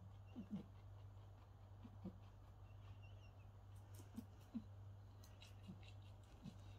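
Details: A rabbit makes soft, low honking grunts in short, irregular bursts while eating.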